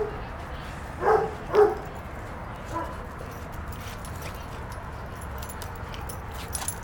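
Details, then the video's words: Play-wrestling puppies named Moe and Bambi; two quick yappy barks close together early on, a faint third sound later, then mostly quiet background noise. "puppies at play"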